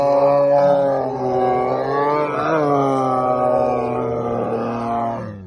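A white tiger gives a long, drawn-out roar, deep and rich with a slight waver throughout.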